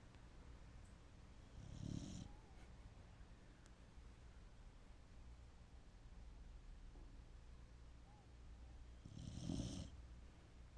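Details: Sleeping dog snoring: two rough, rumbling snorts, each about a second long and roughly seven seconds apart, over a steady quiet hiss.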